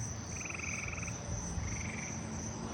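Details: Eastern gray treefrogs up in the trees give short, musical pulsed trills at a distance over a steady high drone of crickets and katydids.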